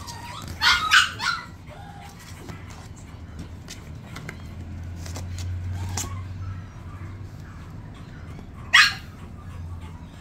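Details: Petit Brabançon, a rare breed, gives a few sharp high yips near the start, a single loud bark near the end, with a low steady hum underneath.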